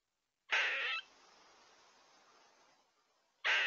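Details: An Eastern gray squirrel gives a harsh, raspy half-second burst, then a quiet gap and a second rasp about three seconds later; trail camera in Tomahawk, Wisconsin, early September 2022.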